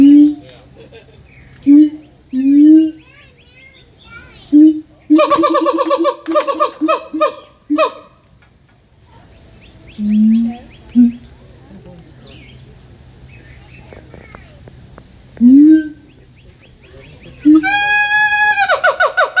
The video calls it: Siamang Sounds (read description)